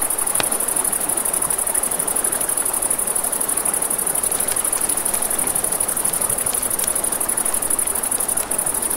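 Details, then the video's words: A continuous high-pitched trill of crickets at night near a river, layered over a crackling campfire with occasional loud snaps and a background hiss of flowing water. "Campfire by the River at Night Ambience | 1 Hour of Crackling Fire, Crickets, Ambient Nature Sounds"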